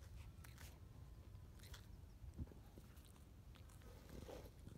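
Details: Quokka. A quokka munches on grass, making short crunchy bites and soft tearing clicks at an uneven pace. A low, steady background rumble runs beneath the chewing.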